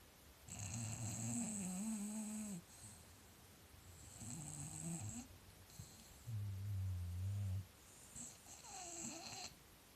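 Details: Snoring contest featuring an English Bulldog, with deep, droning snores recurring roughly every two to three seconds, each a rough low rumble with a whistling overtone, separated by quieter breathing in a small room.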